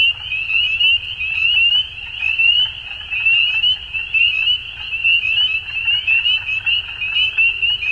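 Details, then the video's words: Dusk frog chorus of shrill, overlapping trills and short rising peeps, pulsing about once a second in uneven waves of loudness. "Frogs At Dusk"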